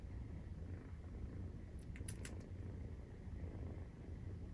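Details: Maine Coon kitten, 43 days old, purring as it nurses; a low steady rumble, broken briefly by a short cluster of light clicks around the second second.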